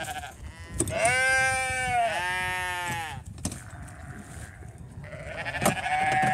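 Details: Sheep being given hay, including a hungry young ram lamb among seven lambs; two loud drawn-out quavering bleats, the second dipping lower, followed by quieter shuffling, a sharp knock and a fainter bleat at the end.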